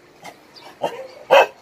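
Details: Rescue-shelter dog at Hanna's shelter in Daegu, South Korea, giving a soft yip, then a stronger bark, then a loud, sharp final bark, all within under two seconds.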